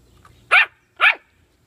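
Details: Two sharp high-pitched yaps from a puppy with bully sticks, half a second apart, over a quiet background.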